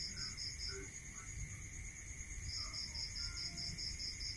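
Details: Crickets at night in a rural area: two bursts of rapid, evenly spaced high chirps, about six pulses each, over a steady shrill drone of continuous trilling and a low background rumble.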